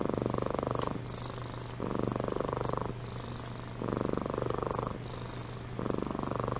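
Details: Purring from Amy, a domestic cat asleep indoors; rhythmic rumbling pulses of about a second each, alternating with softer breaths, over a continuous low background hum.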